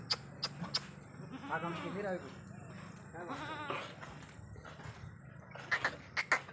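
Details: Sirohi goat kids at a farm in Ajmer giving two quavering, tremulous bleats about two seconds apart, with voices, sharp clicks and steady low hum around them.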